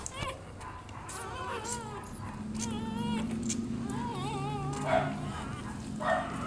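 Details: Rottweiler puppies nursing from their black mother give thin, wavering whimpers in rising and falling tones, several overlapping over a few seconds, with a low steady hum and a human voice underneath.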